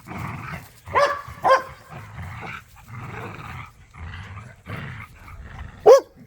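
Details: Playful tug of war among pit bulls and a Malinois in a yard: bursts of throaty snarling growls alternate with short pauses, while the squeaky toy squeals a few times.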